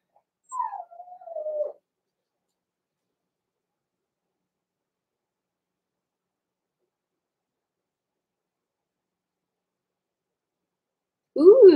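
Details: Blenheim Cavalier King Charles Spaniel puppies, born November 14, 2022 to Pom-Pom in a small litter, in an indoor puppy pen at Christmas time; a drawn-out, falling whimper, then a long quiet gap and a short, loud yelp at the end.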